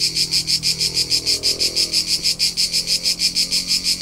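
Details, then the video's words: A short stretch of Tuscan summer crickets in central Italy: evenly spaced, bright, buzzy chirps at around three per second, with a soft low hum underneath. "CRICKET SOUNDS"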